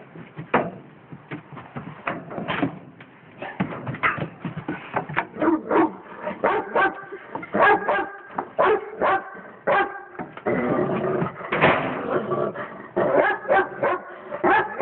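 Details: Pet dog that knows the cat and is friendly but keeps barking at it; rapid volleys of sharp barks mixed with whiny, drawn-out yelps, nearly continuous over fifteen seconds with brief gaps.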